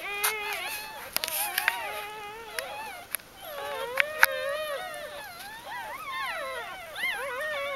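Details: Newborn puppies of Ari's G-litter, first days of life, 1–4 October 2012, give thin wavering whimpers, with sharp knocks and rustling handling noises scattered between the cries.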